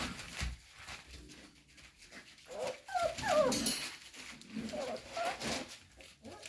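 Cocker Spaniel puppies whine in high, wavering, rising and falling whimpers, pleading to be let out.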